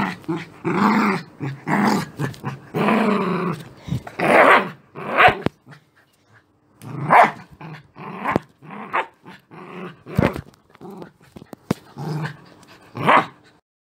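An angry Beagle gives rough, rumbling growls broken by sharper barking bursts.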